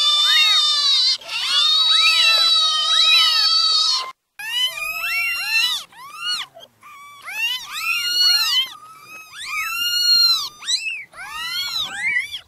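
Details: Several newborn kittens crying at once, a long shrill sustained meow followed by bursts of short arched mews, overlapping and uneven, with a few brief pauses between clusters.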